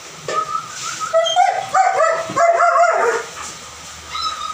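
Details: German Shepherd Dog giving high, nasal whining yelps with clear harmonic bands, several overlapping cries rising and falling over about three seconds, then a short final whimper.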